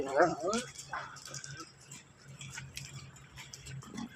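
A wolfdog gives a couple of short, harsh yelping barks, with faint voices in the background.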